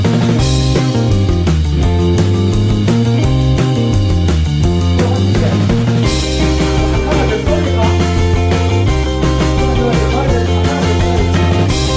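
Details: Loud rock music with electric guitar and drums plays throughout.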